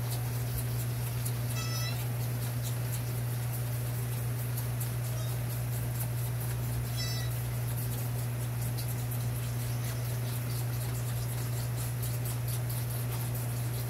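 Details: Fawn being fed at a rescue gives two brief, nasal, harmonic bleats about five seconds apart, each rising then falling, over a steady low electrical hum and faint background rustling.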